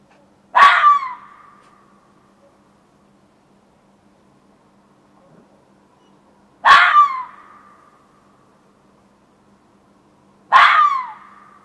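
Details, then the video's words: A fox calling in a back yard around 1:15 am in June, giving three harsh, explosive screaming barks spaced about four to six seconds apart, each with a falling tail, over a faint steady hum. "Fox Calling"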